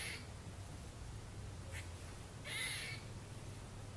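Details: One clear harsh, noisy bark and a couple of fainter ones from a squirrel up in a tree in a trailer park on Tuesday, 30 December 2014, over a low steady hum.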